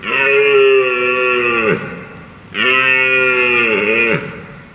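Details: Red deer during the rut by a stream and woodland in the UK, where stags roar to impress hinds and intimidate rivals, give two long moaning calls of nearly two seconds each that hold steady, then droop and fade.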